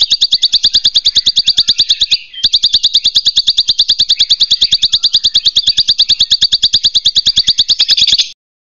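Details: A king grasshopper in the wild gives a loud, high, buzzy chirring of rapid even pulses, about nine a second, with one brief break partway through.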